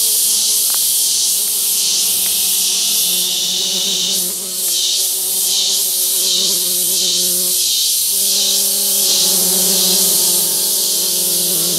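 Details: Wild male orchid bees collecting scents from a paper towel placed on a limb in forest on Barro Colorado Island; low wavering droning buzz with stacked harmonics, rising and fading as bees move, under a loud steady high-pitched hiss.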